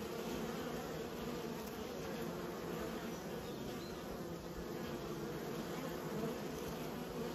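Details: Steady collective buzzing of kept honey bees, a dense low wing drone that stays level from start to finish.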